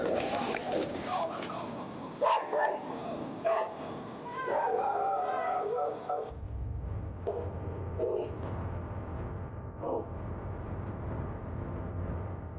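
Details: Angry dog barking aggressively: several sharp, rough barks in a burst over the first six seconds, mixed with human voices, followed by low rumbling background noise and a few fainter barks.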